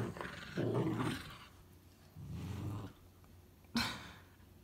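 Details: Two puppies, a mini pocket beagle and an English springer spaniel, growling while playing: low rumbling growls in two bursts, the first about a second long, then a sharp brief yelp near the end.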